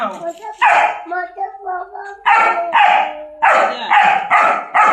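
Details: German Shepherd dogs chained for the first time: a whining, whimpering tone sliding up and down, then a run of six loud sharp barks spaced under a second apart.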